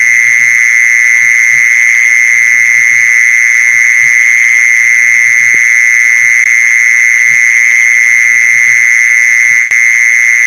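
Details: Mole cricket sound used to lure mole crickets: a steady, unbroken high buzzing trill holding one pitch for the full ten seconds, with a fainter higher overtone and a few soft low thumps beneath.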